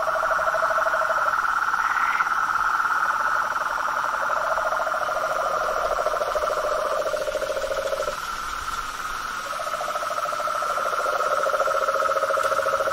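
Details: Frogs, toads and tree frogs in the wild: a continuous mid-pitched trilling chorus with a lower, rapidly pulsed rattling call that starts and stops in long bursts of several seconds, briefly pausing around the middle.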